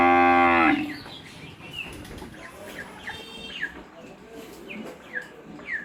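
A cow's deep, rich moo ends abruptly in the opening second. Small birds then chirp in short, falling notes about once a second against a soft outdoor hush.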